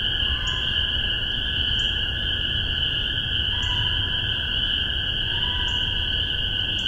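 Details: Spring peepers calling in spring 2015 in Massachusetts, recorded with a spaced omni pair of MXL 603 microphones on a Tascam DR-40. Dense chorus merges into a steady high ringing drone, with faint brief high chirps recurring about every second and a half.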